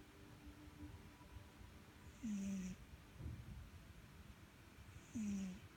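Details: Pet cat Sugar asleep and snoring, two snores roughly three seconds apart, each a brief low drone dipping in pitch with a breathy hiss on top, quiet background between breaths.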